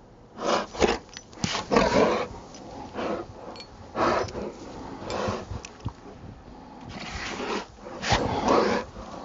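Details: Rottweiler at play in Maryland snow, Saturday afternoon, 19 December 2009, giving a series of short, harsh, roaring play growls in bursts separated by brief pauses, with breathy panting and scuffling between them.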